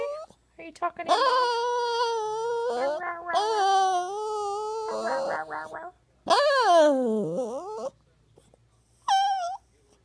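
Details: Male poodle Buddha 'talking' indoors with long, wavering, tonal wails broken by brief gaps, one high sweeping cry that falls sharply, and a short final yelp-like whine after a pause.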